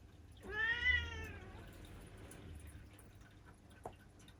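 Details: A black female cat aged seven lets out a single soft, slightly rising mew lasting about a second, followed by quiet room hum and one faint tap.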